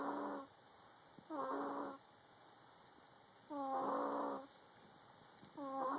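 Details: Domestic cat with a cold snoring: four hoarse, rasping snore bursts in six seconds at uneven spacing, each with wheezy stacked overtones, over a faint steady background hum.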